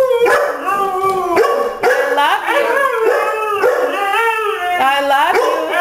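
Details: Pet Siberian Husky howling and 'singing' together with a Labrador; drawn-out, wavering, yodel-like howls that rise and fall in pitch, overlapping between the two dogs, with a few short breaks.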